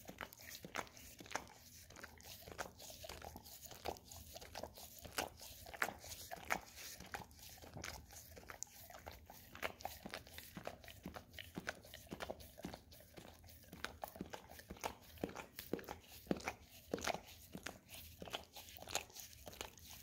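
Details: A pet Golden Retriever works its tongue over an Orapup cleaning brush smeared with peanut butter, making a steady stream of crisp, rapid licking clicks and smacking noises in a small room for twenty seconds.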